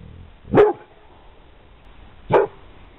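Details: Single deep, forceful barks from a Pit Bull, two of them about two seconds apart, with quiet room noise between.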